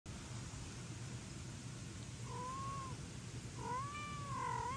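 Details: Domestic cat meowing indoors while foster kittens Ginny and Leo are fed pate and daddy cat wants food too; two rising-falling meows about a second apart, the second longer and louder, over steady low room hum.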